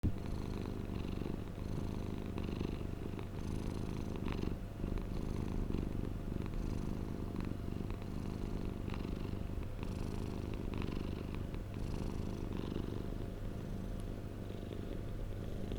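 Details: Domestic cat purring, recorded for relaxation and sleep: a steady low rumbling drone with fine rapid pulsing, continuous throughout, with faint breathy hisses rising and falling at irregular intervals.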